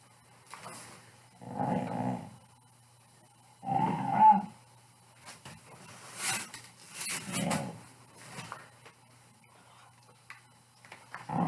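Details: A Pit Bull gives play growls: several rough, rumbling bursts spaced a second or two apart, mixed with scuffling and rustling noises between them.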